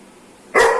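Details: Single sharp, loud bark from an aggressive Doberman, sudden onset after near silence, harsh and slightly tonal, fading off quickly.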